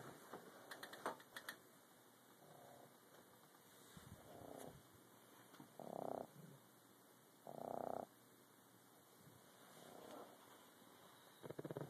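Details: Two pugs asleep on a bed, snoring, recorded on a phone: soft, rasping snorts come about every two seconds, the louder ones at six and eight seconds, over steady electrical hiss.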